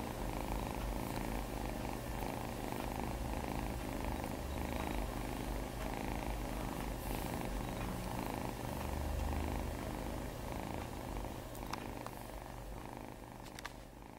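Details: Two foster cats purring while cuddling, a continuous low rumbling pulse close to the microphone, steady throughout with occasional soft clicks and rustles.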